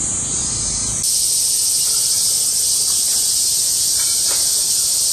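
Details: August 2008 cicada chorus, many insects shrilling together; a steady high hissing drone that jumps louder and brighter after the first second, then holds constant with a few faint clicks beneath.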